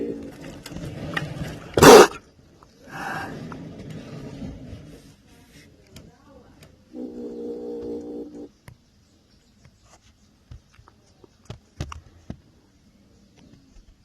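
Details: Angry kitten growling and attacking: a short breathy burst near the start, then a steady harmonic growl lasting about a second and a half, with scattered clicks and bumps in between.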